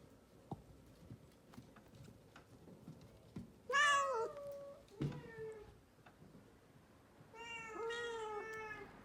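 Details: Rescued house cat meowing indoors: a loud, bright meow that falls off around four seconds, a short low grunt-like call after, then a steady drawn-out meow near the end; soft taps and handling noise in a small room.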